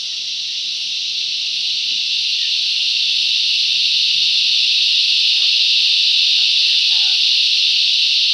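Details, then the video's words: Cicadas in the bush swelling into a crescendo, the steady high-pitched drone growing louder from start to finish, with a few faint low chirps underneath. "Listen to the cicadas crescendo's and diminuendo's"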